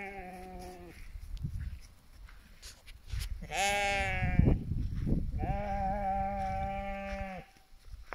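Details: Sheep in a flock guarded by young livestock guardian dogs in the mountains of British Columbia, Canada; three long, steady, harmonic bleats of a few seconds each, with a brief murmur of a person's voice between them.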